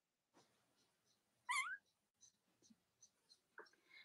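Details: Cavalier King Charles Spaniel puppies from Robin and Myra's litters, indoors on a chilly Monday morning: one sharp, high, wavering squeal in the middle, then soft scattered squeaks and light rustling.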